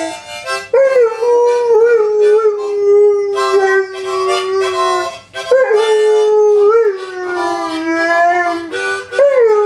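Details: Pet dog Samson howls in long drawn-out tones, each held for several seconds, wavering and gently sliding downward, broken by brief pauses, with harmonica-like reedy tones mixed in.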